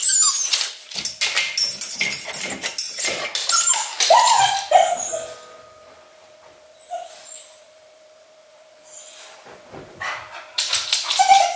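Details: English Cocker Spaniel Luna, home alone in Berlin for under three minutes during Germany's lockdown, showing separation anxiety: rapid scratching and rustling bursts with a brief high whine mid-clip, then quiet with a steady appliance hum before renewed scratching.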